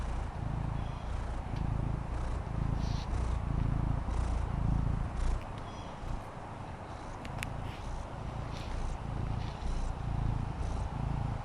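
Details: Fendi, a female Maine Coon kitten, relaxes on a patio, purring in a low, steady rumble that swells in soft pulses roughly every second, with faint background hiss.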